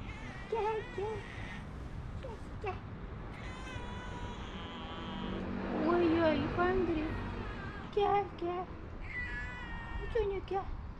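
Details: A beautiful, fluffy, timid domestic cat with big paws gives several short, wavering meows, mixed with background music and a person talking.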